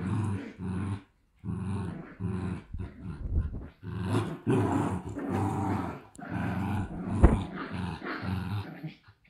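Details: Two Shiba Inu puppies at a Netherlands breeder growl like little motors, low rumbling bursts about half a second to a second long in steady runs with short silent gaps, music and laughter around them.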